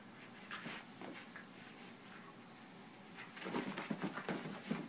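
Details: A seven-month-old puppy and a thirteen-year-old dog together indoors; soft, short whimpering sounds and breathy bursts, quiet at first, then a louder run of rapid, irregular whines and pants in the last two seconds.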